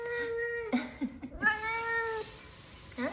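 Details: An F2 Savannah cat, with two other F2 Savannahs nearby, utters drawn-out, even-pitched meows, each held most of a second and tailing off slightly, greeting her owner home from work; a woman's voice speaks softly between calls.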